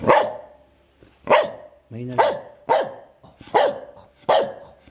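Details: Medium-sized dog giving a run of sharp barks about once per second during training, with a brief whine-like tone between the first barks; punchy, bright onsets.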